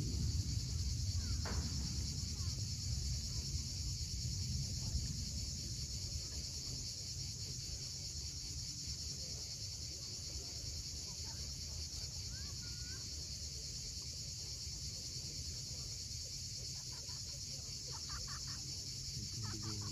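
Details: At sunset on Crimea's Cape Fiolent coast, cicadas keep up a continuous high-pitched hiss-like buzz, with surf rolling heavily underneath and a few faint bird chirps near the end.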